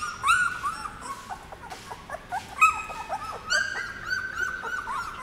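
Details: Puppies aged 17 days on their first outing into a dog café, giving thin, rising whines and short squeaks in clusters about a second apart, some sliding upward sharply.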